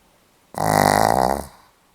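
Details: Pomeranian dog snoring, recorded 8 November 2015: a single rough, buzzy snore of about one second, with a dense stacked tone that rattles evenly and then fades out into quiet.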